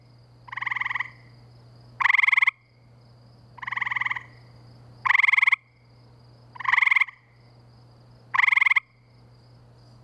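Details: Gray treefrogs (Hyla versicolor) give short, musical trilled calls at night in spring near woods and wetlands by a pool in Framingham, Massachusetts. Two callers alternate every second or so.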